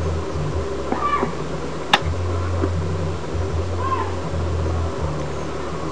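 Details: Pet cat, Pingue or Cuca, playing a long while with a flower growing in the grass, Carmen de Viboral, 2011; two short soft meows, a sharp click near two seconds, steady low hum throughout.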